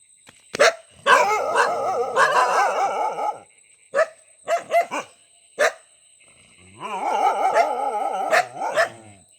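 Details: Dog giving sharp barks mixed with long wavering, drawn-out howling whines lasting two to three seconds each. A thin steady high tone runs underneath.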